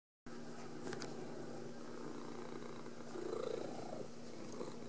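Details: Domestic female cat purring in greeting as her owner comes home from work, as she does every time; a steady, low, continuous rumbling purr throughout, growing slightly louder near the end, with a faint constant hum.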